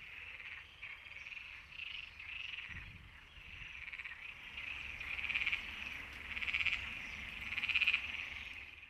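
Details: Breeding chorus of European tree frogs, several males giving fast, harsh, nasal pulsed calls in overlapping bursts that build toward the end; steady high rattling with brief louder peaks and faint low background rumble.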